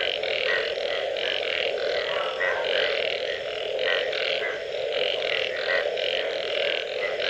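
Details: Frogs calling after rain: a dense, loud, continuous chorus of rapid pulsed croaks from many overlapping callers, pulsing steadily without pause.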